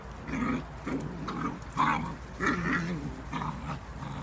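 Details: Whippet puppies aged eight weeks wrestling in play; rapid run of throaty growls and squeaky whines, each lasting under half a second, close and loud throughout.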